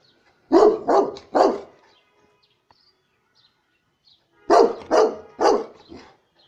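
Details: Saint Bernard barking: two bursts of three deep, loud, harmonic barks each, about half a second apart, separated by roughly two seconds of quiet.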